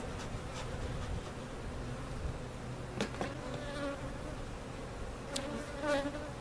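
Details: Honey bee colony removed in a cutout and relocated to its permanent spot at Jerome Bee Farm in Central Oklahoma; a continuous low-pitched swarm drone with a few sharp taps and faint higher whines.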